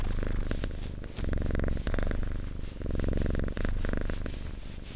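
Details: Domestic cat purring steadily and loudly, a deep, throbbing rumble alternating between inhaled and exhaled phases roughly every second, with faint rustling; ASMR-style close recording.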